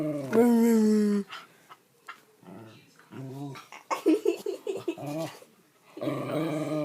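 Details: Pet dog at a grandmother's home, playfully mouthing and trying to bite people without really biting, gives a drawn-out whining grumble of about a second, then shorter grunting and moaning noises, with people talking nearby indoors.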